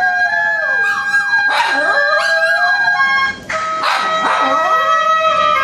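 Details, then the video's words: Pet poodles howling together as if singing like a wolf: wavering, sliding howls that rise and fall in overlapping bursts, over steady sustained tones held throughout. "Poodle dog Sing as a Wolf"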